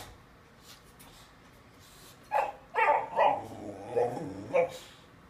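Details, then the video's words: Boxer puppy being stubborn while wanting cat treats indoors: a run of five short, yelping barks and whines over about two seconds, one drawn-out whine in the middle, with a man's voice before and after. "Boxer puppy wants cat treats"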